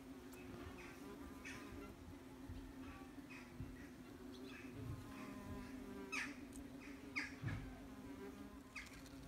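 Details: Wasps very busy at their nest, recorded from as close as possible: a steady low droning hum with overtones, overlaid by scattered crackles and ticking sounds from the activity at the nest.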